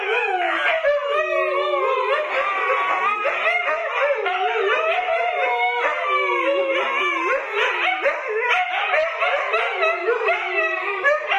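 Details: Several Siberian Huskies, adults with puppies, howling together: overlapping wavering, sliding tones rise and fall continuously over the whole stretch, many voices layered into a dense chorus with occasional yips.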